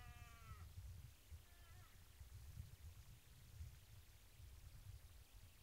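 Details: A wild moose at a salt lick in the Trans-Urals gives a short, nasal, bleating call, then a second fainter one a second later, over steady low wind rumble.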